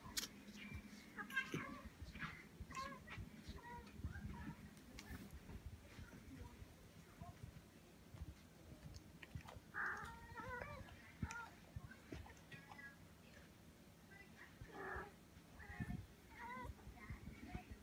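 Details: Merida, a wobbly cat, chats eagerly while wanting bubbles: short chirping, meow-like bursts, strongest near the middle and toward the end, with a person talking and coaxing her to come get the bubbles, plus soft indoor rustling.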